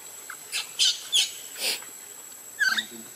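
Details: Baby monkey screaming and crying in the water as its mother leaves it: a series of sharp, high squealing cries, each short and piercing, about five bursts in three seconds, over a steady faint whine.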